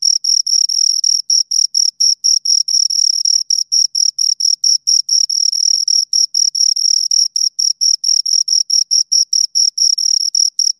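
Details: Two crickets chirping up close, a steady stream of short, high-pitched pulses, rapid and slightly uneven in spacing, over a completely silent background.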